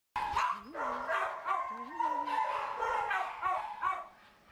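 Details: Danny, a Miniature Poodle at an SPCA shelter awaiting adoption after being found neglected by the Dog Warden, gives a series of short, sharp barks spaced through the clip while a person talks over them.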